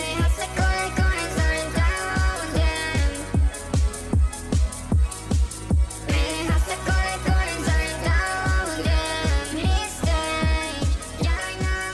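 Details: Loud electronic dance music with a pounding regular beat and synth melody plays throughout, with no animal sounds audible.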